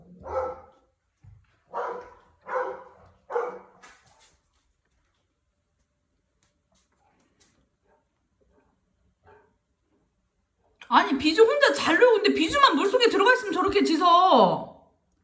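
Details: Golden Retriever, eldest dog, barking wildly as the youngest enters the pool alone at a country house in Cheongju; four evenly spaced short barks, a long silence, then a loud burst of mixed sound.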